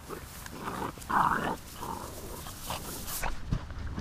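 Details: Basset mix puppies awaiting adoption. One gives a short, whiny yelp about a second in, followed by a fainter cry, over steady background rumble and handling noises.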